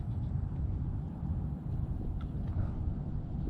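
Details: Steady low rumble of wind or a distant engine outdoors, with no animal voices.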